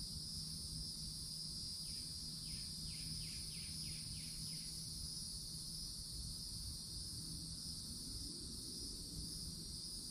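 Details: Summer cicadas at the edge of a Florida forest produce a continuous shrill, even drone throughout, while a bird gives a run of about six quick falling chirps early on and a low background rumble persists.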